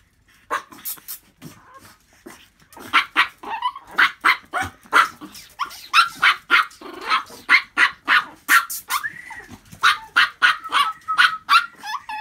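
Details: Small dog barking in rapid, sharp bursts, roughly three per second, with a few whining yelps between them. Recorded on 27 January in a noisy room.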